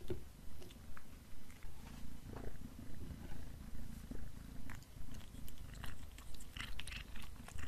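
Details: Black cat eating beef snacks indoors: steady, rhythmic chewing pulses over a low rumble, with soft crunchy clicks scattered throughout.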